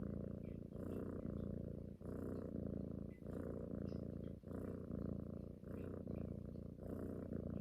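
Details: Female pet cat purring while cuddling against a person and suckling at the neck as if nursing, a daily habit each morning and night; a steady low rumbling purr that swells and fades in breath cycles about every second, indoors.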